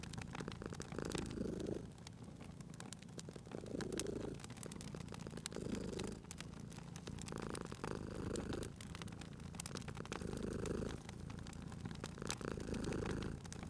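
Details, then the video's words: Soft rumbling purr of a sleeping cat by a fireplace, breathing cycles coming roughly every two seconds, partly masked by dense crackling and popping of the wood fire. "Cute Purring Cat at a Crackling Fireplace"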